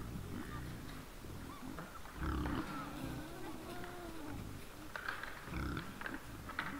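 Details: Wild boars in front of a trail camera at 20:17 on 17 December 2022: deep grunts and a drawn-out, moaning squeal rise over a hissing, noisy background, with a louder grunting burst toward the end.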